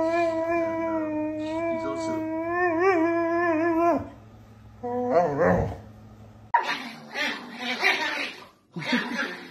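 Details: An angry dog holds a long, steady, tonal howl for about four seconds that wavers slightly near its end, then breaks into shorter wavering cries and rough, noisy bursts.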